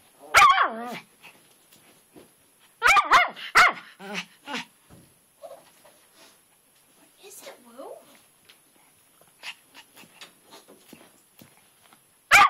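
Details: Twitch, a pet dog, barks at a rock in a flower bed on a rainy day, jumping back and forth as if he had found a ghost; sharp, loud barks in quick clusters separated by quieter gaps with soft human talk.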